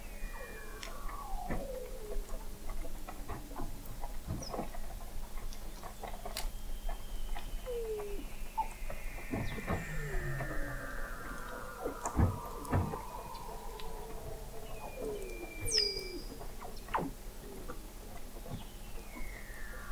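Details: Dense chorus of Weddell seals under Antarctic sea ice at McMurdo Sound, November 2017, from an observatory 21 m deep: many long gliding descending whistles overlapping with clicks, chirps and short sweeps throughout.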